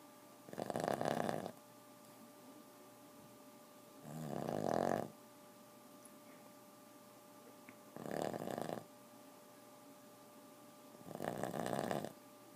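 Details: A 4-year-old Boston Terrier snores in loud, raspy bursts about every three and a half seconds, keeping the household awake.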